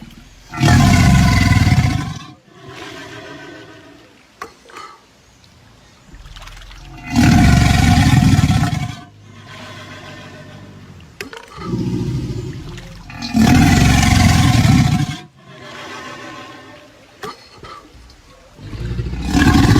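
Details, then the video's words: Caiman producing deep growling roars in long bursts of about two seconds, repeated every five to six seconds, heavy low rumbling with broad rough overtones, quieter huffs between bursts. "SONIDO DE CAIMÁN"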